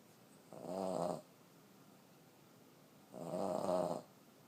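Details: Sleeping 14-year-old female Boston Terrier snoring loudly indoors; two throaty, buzzing snores roughly two and a half seconds apart, each around two-thirds of a second long, with near-silence between breaths.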